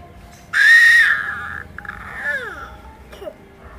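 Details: Orange domestic cat giving a loud, drawn-out meow that holds level and then slides down, followed by a couple of softer, falling mews in a small indoor space.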